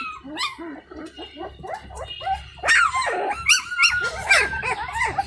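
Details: Indian Pariah Dog puppies at feeding with their stray mother, one crying for her attention. Short squeaky whines repeat roughly once a second, then louder, sharper yelps and overlapping cries build in the second half over a low hum.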